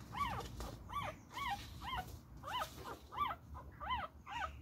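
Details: Beagle puppy in a play fight, yelping repeatedly with high arched whining yips about twice a second, each bright and clear over soft low scuffling.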